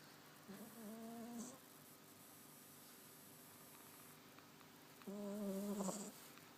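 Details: A 20-week-old Cavalier King Charles Spaniel puppy snores with two low, droning breaths about four seconds apart.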